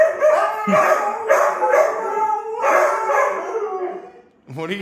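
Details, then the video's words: Siberian Huskies howling as a group, overlapping wavering howls in bursts, then a man's voice speaks briefly at the end. "the HUSKY CHOIR SINGS a SONG for DAD"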